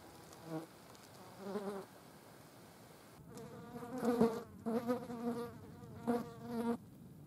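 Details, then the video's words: Green bottle flies at a dead mouse, buzzing in several short humming bursts, some brief and others lasting about half a second, growing louder and more frequent toward the end. "Grüne Schmeißfliegen auf toter Maus."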